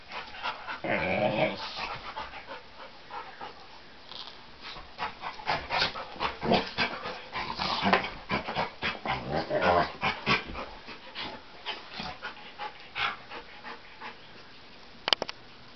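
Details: Dogs playing, a long run of quick breathy huffs and snuffles at an uneven fast pace, several louder noisy bursts, then quieter toward the end with a sharp click near the close.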